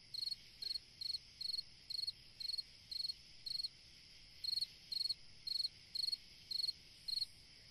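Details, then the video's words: Summer-night cricket song with fourteen short pulsed chirps, each a quick trill of three or four clicks, spaced about half a second apart with a brief pause midway, above a faint constant insect hum. "Chant d'un grillon dans une nuit d'été / Singing a cricket in a summer night"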